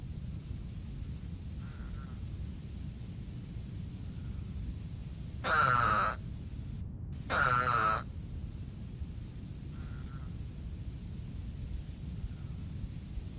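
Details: Eastern spadefoot, a seasonal explosive breeder in roadside pools, gives nasal, whining calls like a complaining sheep, with fainter callers in the background.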